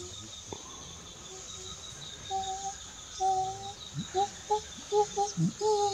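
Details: Eastern chimpanzee (Pan troglodytes schweinfurthii) calling in Kibale National Park, Uganda: two drawn-out, even low hoo notes, then a quickening run of short hoots that rise in pitch, over a steady high insect drone of the forest.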